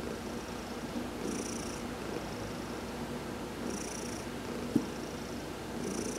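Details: Heidi the adopted cat, being massaged in the sun on November 19, 2020, gives a soft rumbling purr broken by breathy hisses about every two and a half seconds, with one small click near the end.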